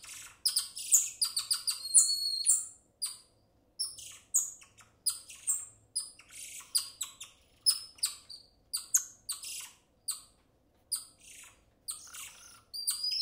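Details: Golden lion tamarin giving excited, high-pitched chirping calls, bright whistled notes dropping in pitch, packed in quick clusters then broken by brief silences, with nothing else heard behind them.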